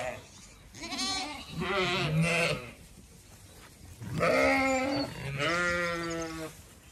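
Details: Zwartbles sheep walking through an orchard in bloom on an Irish farm in County Kilkenny at evening; a few separate quavering bleats, one low and steady, others higher, with quiet gaps between.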